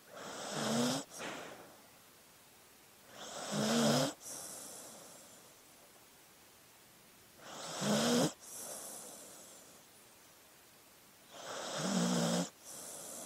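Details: Sleeping dog snoring rhythmically: four evenly spaced raspy inhales about every four seconds, each with a short low rattling buzz before breaking off, separated by near-silent pauses.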